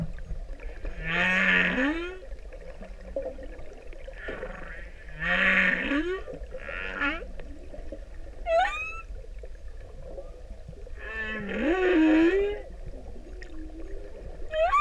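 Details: Male humpback whale singing for a female in the Pacific: rising moaning units with rich harmonics, repeated roughly every four to five seconds, interleaved with short upward-sweeping whistles, over a low rumbling underwater background.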